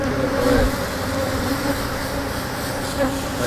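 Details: Angry Africanized honey bees at an opened hive during honey removal, a continuous droning hum with a steady low tone and a higher overtone that swells briefly.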